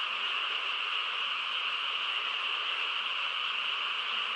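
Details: Countryside frog chorus at night in quiet surroundings, many overlapping callers merging into a continuous shimmering drone, even in loudness throughout, two stacked bands of pitch, nothing else audible.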